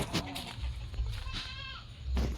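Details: A farm-raised domestic goat gives a brief, shaky bleat midway through, framed by sharp knocks and thumps and a low rumbling background.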